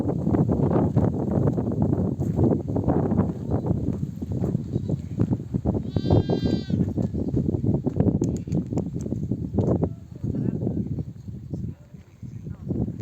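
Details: Flock of nomadic sheep coming home from grazing, mothers bleating for their lambs to nurse; one brief tremulous bleat rises over a steady loud rumble of the moving flock and trampling.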